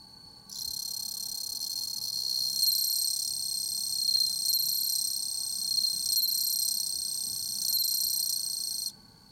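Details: Bell cricket chirping on 15 September 2021: an intense, high, bell-like ringing trill that sets in suddenly, continues with a faint pulsing shimmer for about eight seconds, and cuts off sharply.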